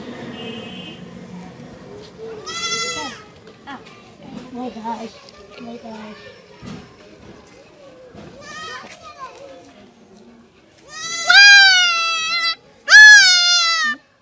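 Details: Castration of a goat kid. Long stretches of soft rustling and faint voices give way to two loud, harsh, wavering bleats near the end.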